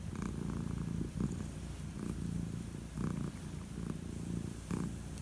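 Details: An old calico cat purring while enjoying head strokes before bed, a low steady rumbling purr with soft rhythmic breathing pulses about once a second.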